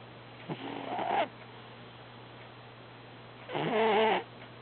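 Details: Dreaming house cat Herbie snores in two harsh drawn-out breaths, the second carrying a wavering, almost whiny tone, with a low steady hum beneath.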